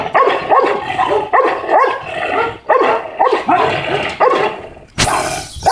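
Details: An aggressive Pit Bull barks loudly and repeatedly, about eight rough, gruff barks at roughly half-second to one-second spacing, ending in a burst of noise.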